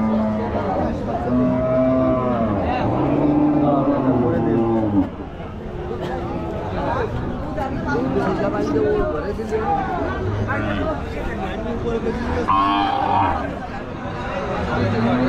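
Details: Cows unloaded at a village cow show, lowing in long, slightly falling moos during the first five seconds, then fainter calls amid men's voices, shouting and vehicle noise.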